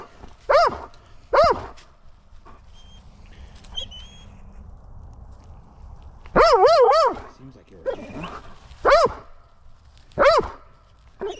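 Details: Belgian Malinois during mantrailing practice in December, very excited to search for a hidden person: short wavering whines and yelps in bursts separated by quiet pauses, with a person's voice urging him on.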